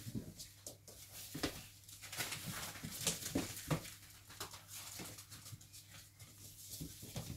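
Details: Five-week-old Cavalier King Charles Spaniel puppies give short, irregular whimpers and squeaks indoors.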